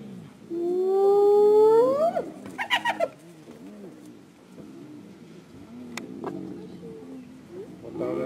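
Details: Wild African spotted hyena calling to its clan: a single loud hooting whoop that climbs steadily for about two seconds, then a few short rough noises and quiet background.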